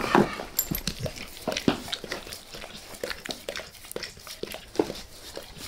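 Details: Face licking from Max the dog: a loud smacking burst at the start, then lighter, irregular wet ticks and slurps spread through the rest.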